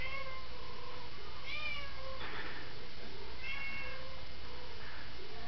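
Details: Worried domestic cat, said to have just learned its friends are in trouble, giving a string of wavering, arched meows, several rising then falling, roughly two to three per second at times, over a steady low hum and background hiss.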